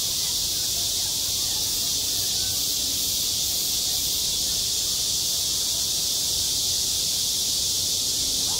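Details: Cicadas in midsummer at a school playground, a loud, even, high-pitched drone running unchanged throughout, with no other clear sounds.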